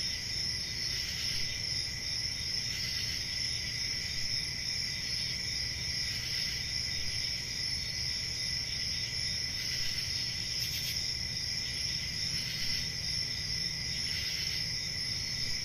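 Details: Nighttime summer crickets in a forest make an unbroken high shimmering trill, with louder chirping bursts about every two seconds and a steady low rumble underneath.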